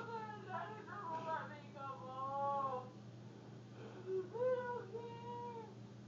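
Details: Indoor cat mews, thin and plaintive, come in two bursts of drawn-out wavering cries with a rising, slurred pitch. A quieter pause falls between them, over a constant low electrical hum.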